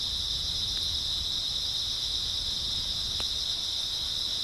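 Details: Grass insects on an early autumn night, chirping in a dense, unbroken high-pitched chorus that holds steady throughout, with a couple of faint clicks and a soft low rumble underneath.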